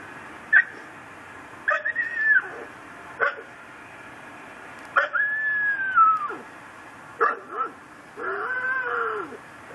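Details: Tethered pit bull in a yard in Chalmette, Louisiana, barking at night on December 24, 2012: short barks alternate with drawn-out, high whining cries that slide downward, roughly every second or two, over faint steady hum.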